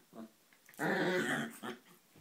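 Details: Chihuahuas playing together in a play fight; one gives a rough, buzzy growl of about seven tenths of a second, with short softer grunting bursts just before and after.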